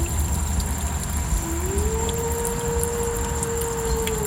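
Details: A wolf gives a single smooth howl that rises, holds steady, then dips slightly at the end; gray wolf.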